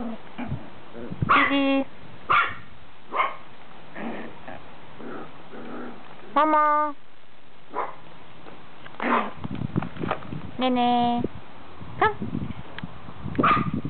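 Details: Lively puppies giving short yelps and high barks in scattered bursts, some with clear ringing tones, over a steady background hum.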